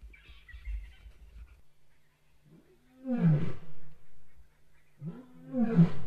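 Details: Lions of a pride roaring from the eastern side of a river to claim territory in answer to a neighbouring pride; deep, powerful roars rise and fall after a faint distant call, two strong bursts a few seconds apart.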